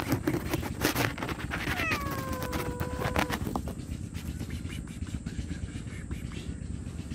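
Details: Hungry homeless stray cat meowing loudly for food and shelter: one drawn-out, rich meow that falls in pitch and then holds steady for over a second, heard over a constant low rumbling background hum.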